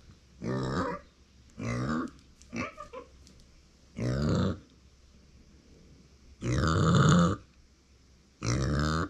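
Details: Pet micro pig, female, born September 2020, vocalising when nobody is close by. Deep, drawn-out grunting calls, rough and throaty, some lasting nearly a second, arrive in five separate bursts with quiet gaps between them.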